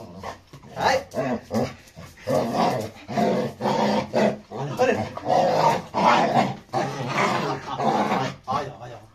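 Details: Aggressive Labrador retriever Rony fighting with Radhe indoors: harsh, rough growling and snarling in loud bursts of one to two seconds, nearly continuous, with brief pauses and human voices mixed in.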